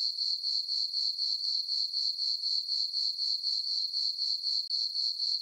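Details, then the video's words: Night-time crickets in a moonlit farm meadow in summer, giving a constant high, ringing chirp that throbs in quick regular pulses, roughly four each second, with a brief dip near the end. "Cricket chirping sounds for sleeping"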